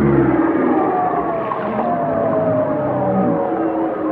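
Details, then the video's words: Whales singing in a dense chorus of layered, sustained tonal moans and faint warbling lines, a low rumble at the start, all blended into a continuous underwater wash with no pauses. "chant des baleines"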